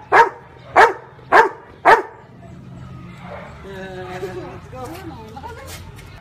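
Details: Counting Labrador Retriever Marley barks out a number shown on a woman's fingers: four crisp barks in quick, even succession, followed by a low hum and people talking quietly.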